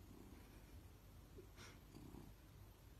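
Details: Pet cat purring softly while being scratched, a low continuous rumble with a brief rustling scratch in the middle.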